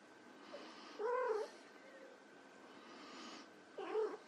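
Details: White Persian kittens at play giving two harmonic meows, a longer arched one near the start and a shorter one at the end, over a steady faint hum.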